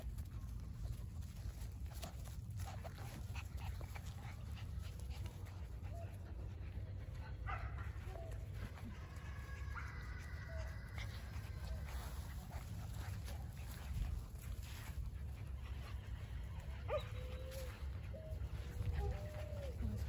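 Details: Border Collie puppies 49 days old, from a German sire and Russian dam, litter born 19 April 2022 and filmed 7 June 2022; soft thin whining whimpers rise and fall in short arcs, scattered irregularly over steady low background rumble.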